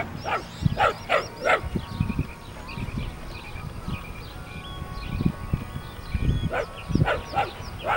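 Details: Puppies giving short, sharp, high yips and barks in loose bursts, some clustered in quick pairs and triplets, with small birds chirping steadily in the background outdoors.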